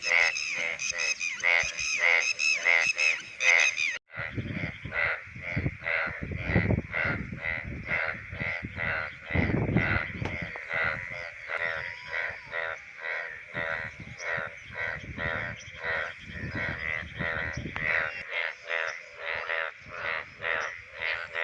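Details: Indian bullfrogs in the rainy monsoon breeding season give loud, nasal, rapidly repeated croaks that overlap into a dense chorus.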